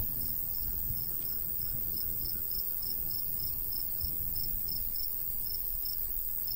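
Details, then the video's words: Crickets in rural summer fields of golden wheat repeat bright, high chirps about three times a second in an even rhythm, a faint low hum and light wind beneath. "Countryside/cricket sounds"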